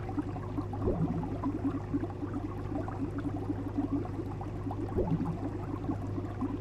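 A domestic cat purrs in a low, steady, rumbling throb with faint breathy swells every few seconds over a soft background hum.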